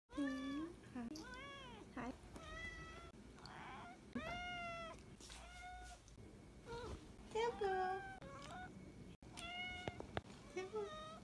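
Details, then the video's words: Pet cat greeting its owner with welcome-home meows indoors: a run of repeated, tonal, arching meows, some rising then falling, several drawn out, coming in quick succession with short gaps and faint room noise. "Cat’s, "Welcome Home," meow everyday for 4 months"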